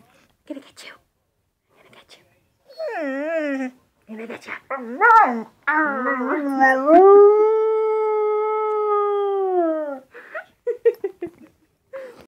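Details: Puppy howling for only the second time: short wavering, rising-and-falling howls give way to one long steady tonal howl of about three seconds, while a person playfully repeats "I'm going to get you" between the howls.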